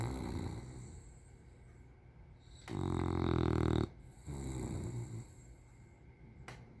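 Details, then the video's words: Felix, a sleeping English bulldog, lets out a loud, buzzy snore lasting just over a second, then a softer, rattling one on the next breath, low and throaty throughout. "Felix the Bulldog Snores"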